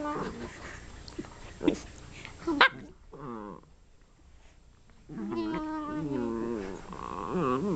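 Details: Two dachshunds fighting aggressively: rough snarls early, a short quiet lull, then a long stretch of high, wavering whines and yelps rising and falling through the last three seconds.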